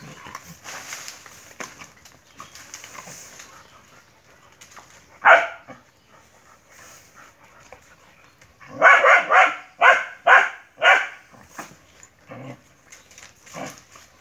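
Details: Dog barking during a fierce fight with a monitor lizard: a single sharp bark, then a quick run of five loud barks near the ninth second, with faint scuffling between them.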